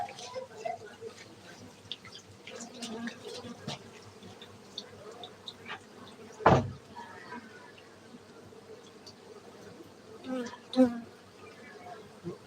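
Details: Honey bees at a beekeeping centre in Gayo, Aceh, Indonesia, giving a steady low droning hum with loud knocks and brief clatters breaking through, faint human voices at times.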